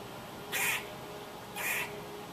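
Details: A squirrel gives two short, harsh, raspy bursts spaced about a second apart, each lasting roughly a quarter second, against a faint steady background hum.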